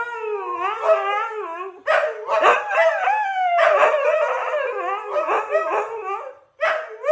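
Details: A Siberian Husky howls in a morning "duet", in long, wavering, harmonic-rich tones that bend up and down like talking.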